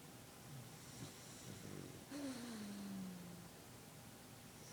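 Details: A Boston Terrier napping snores with soft, rumbling breaths and one low, whistling tone that slides downward.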